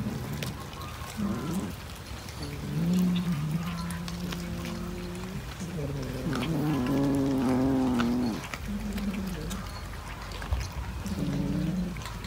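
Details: Domestic cat producing a series of low, drawn-out moaning wails over about twelve seconds. Some are level and sustained, others climb and waver, separated by short gaps. A few soft clicks and thumps sound in the background.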